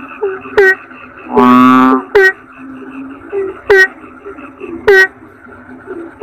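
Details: Toad chorus. One long, loud, rasping croak comes near one and a half seconds. Four sharp clicks with short falling chirps are spaced roughly one second apart, and soft twangy notes repeat in the background.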